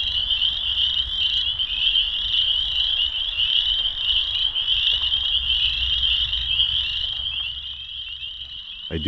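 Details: Spring peepers in full evening chorus at 7:30 pm on April 15, 2023, in a partly flooded old sand pit; dense, continuous high-pitched peeping forms an unbroken shrill band, with faint low rumble beneath and a brief thump at the end.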